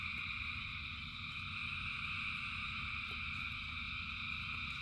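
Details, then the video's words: Thousands of frogs calling in rain, their overlapping trills fusing into an even, bright drone across several high bands, with low rumbling noise and a few scattered ticks. "Frogs in Rain 2 Hours of Frogs, Thousands of Frogs Singing"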